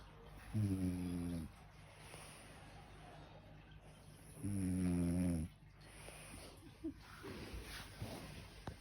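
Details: Sleeping French bulldog snoring indoors, two loud rasping, buzzy snores about four seconds apart, each lasting roughly a second, with quiet breathing and faint rustling between.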